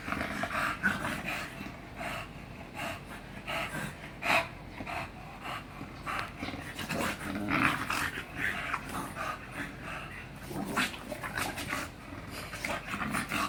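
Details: Bulldog named Hiccup panting and breathing heavily during exercise, rapid noisy huffs coming in irregular bursts with a few sharper snorts, continuous throughout.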